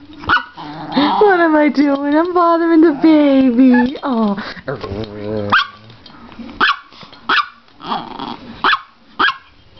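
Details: Mock-fierce play from a female Chihuahua excited by a slowly approaching hand: a long, wavering, moaning growl that rises and falls for several seconds, then a run of short, sharp yaps.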